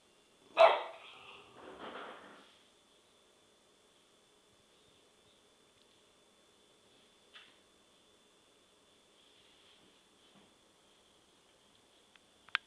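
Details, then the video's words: Indoors, the chronically barking dog Remy gives two quick barks, a loud sharp one followed by a softer second, then quiet with a few faint knocks and a small click at the end. "Remy's annoying chronic bark"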